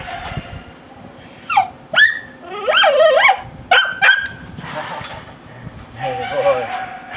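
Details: Hercules, a dog in K9 training, gives a few sharp yelping barks that bend into whiny, wavering cries, with quiet stretches between bursts and a steady background hum.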